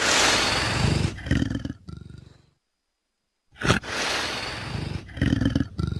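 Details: Leopard calling: two loud, rough, breathy roaring bursts separated by a short silence, harsh and broad, with a deep rasping base.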